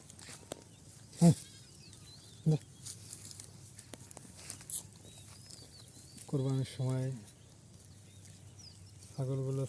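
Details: Farm goats fed only fresh grass, raised for sale at Eid: two loud, wavering, nasal bleats in quick succession, a third after a pause. Earlier, a couple of sharp knocks over a low rural background hum.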